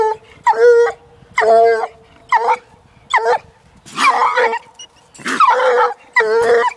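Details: One-year-old female Walker hound on a caged raccoon, giving short, choppy bays and yelps roughly once a second, some clear and ringing, others rough and harsh, separated by quiet gaps.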